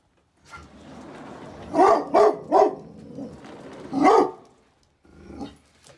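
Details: Fearful dog named Hawkeye barking at a person entering the yard, scared and uncomfortable: four sharp barks in a quick burst, then another loud bark and a softer one after a pause, with a faint hum of background noise.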